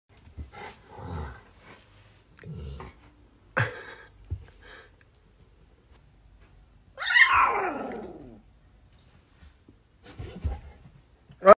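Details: Adult male pit bull and his puppy in the United States during a father-and-son moment indoors; short low grumbling growl bursts, a louder drawn-out whine near the middle, then further soft grumbles.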